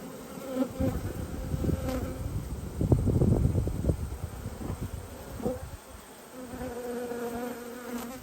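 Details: Honey bees during a hive inspection on 19/3/22: a steady low droning hum with faint tonal bands, swelling into a louder, denser buzz around the middle with some soft knocks and handling thuds.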